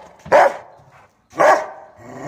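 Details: Rottweiler tied up and agitated, barking; two loud, deep single barks about one second apart, each followed by quieter sound.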